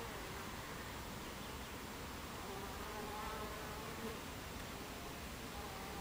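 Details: Buckfast bees at the hive entrance, 26 July 2013, 14:30; unbroken colony hum with a few short rising and falling whines from bees flying near.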